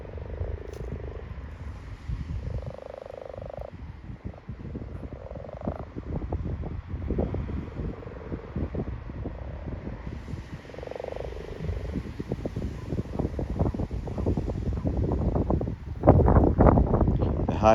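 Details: At night in a garden wildlife pond during breeding, a male common toad gives short, high yelping release calls to deter male frogs grabbing him, among croaking male common frogs calling females.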